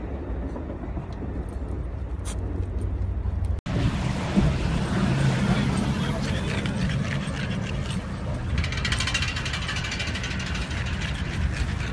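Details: Steady traffic and engine rumble fill the scene, with a sharp break near four seconds, faint talking and a rattling mechanical sound.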